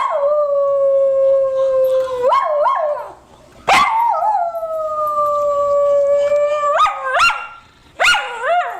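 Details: Loud dog howling, one of four dogs: long level howls each ending in upward yips, separated by short sharp cries, repeated across the stretch.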